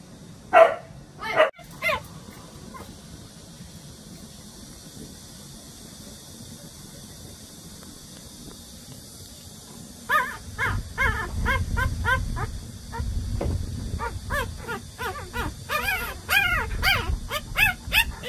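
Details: Young Jindo puppy brothers, about 187 days old, growing up and already eager for the outside world; short sharp yips and barks open the recording, then a quiet stretch, then dense bursts of rapid high yelps and whines.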